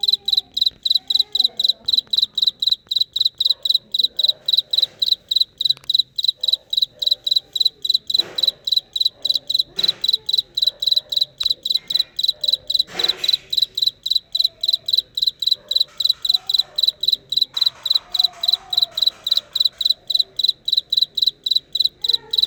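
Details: Cricket calling nonstop in a long, even series of shrill, high-pitched pulsed chirps, about three or four per second. Faint voices and a few soft knocks sound in the background.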